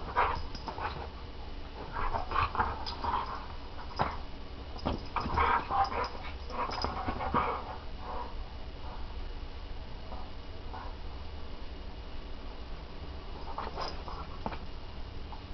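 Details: Small young dog standing up to a bigger full-grown dog: rough grunting growls and short yips in bursts through the first half, with scuffling and thuds, then quieter intermittent growls and a final sharp yelp.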